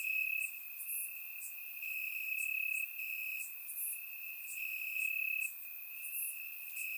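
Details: Night chorus of crickets in Bulgarian grass on a warm summer evening, recorded in surround sound: one unbroken high-pitched pulsing trill swells and fades slightly, topped by scattered shrill clicks from further insects.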